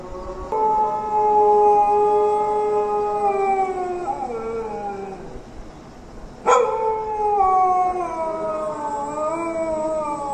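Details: Dogs howling during the call to prayer: long, sustained tonal howls that slowly fall in pitch, a pause, then a fresh howl starting abruptly and wavering on, with overlapping voices.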